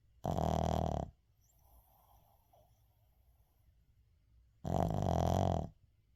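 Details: A sleeping Shih Tzu named Uijung snoring indoors, captured unedited: two deep, buzzy, rattling snores, each about a second long, spaced roughly four seconds apart, with quiet breathing between them and a faint hum in the background.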